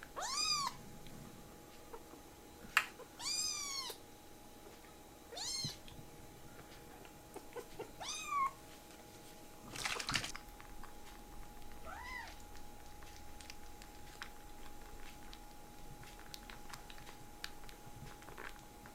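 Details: Rescued kittens being socialised indoors to become house cats meow in short arched calls, several in the first half and then sparser and softer. A steady electrical hum runs underneath, with occasional clicks and handling noises.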